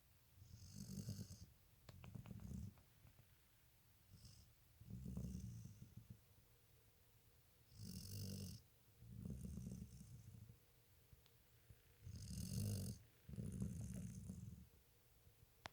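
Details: Dog snoring while asleep, a steady run of low, rough snores alternating with airy breaths roughly every one to two seconds, about eight breath cycles in all.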